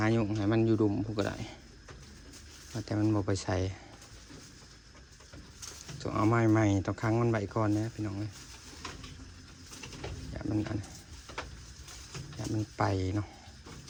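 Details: Goats, four more of them newly bought, giving low, quavering bleats with a wavering tremolo, spaced in short bursts a few seconds apart, the longest near the middle, with people's voices heard between calls.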